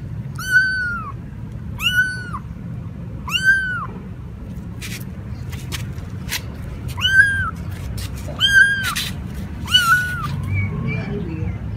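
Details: Kitten or cat giving high, thin meows, each a brief arch repeated about every one to one and a half seconds, six calls in all, with scattered clicks and a soft low rumble behind.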